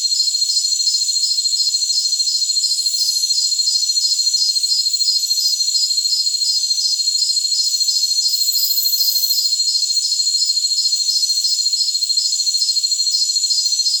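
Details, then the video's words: Chorus of jungle crickets: continuous high-pitched ringing with a regular pulsed chirp about three times a second, brief brighter hissy bursts drifting above, and nothing in the low range. "Jungle Crickets"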